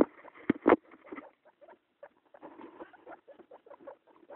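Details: A guinea pig family, a mother with two young pups, gives soft, short squeaks and chuttering notes in quick uneven bursts.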